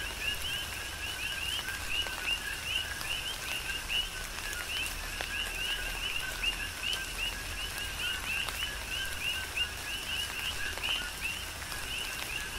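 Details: Coqui frogs in a rhythmic chorus on the Big Island of Hawaii during a tropical rain shower: many short, upward-sweeping chirps overlap continuously over a steady hiss of falling rain with scattered drop taps.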